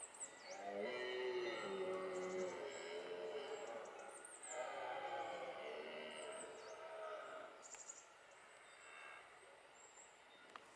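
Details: A red deer stag in the Hautes-Pyrénées, France, bellows twice in long, groaning roars during the autumn 2020 rut.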